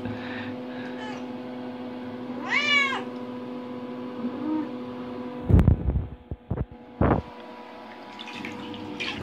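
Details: Adopted indoor cat, five years and eight months old, curious while exploring a bathroom near a bathtub; one clear rising-falling meow with rich harmonics, steady background hum, then sharp knocks and splashing clatter.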